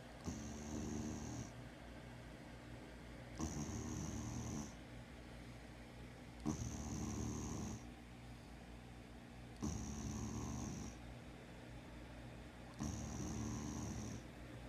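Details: A sleeping female dog, a former street dog now kept as a home watchdog, snores steadily: long, rough, low rumbling breaths with a buzzing harmonic tone, each lasting over a second and recurring about every three seconds, with quiet pauses between.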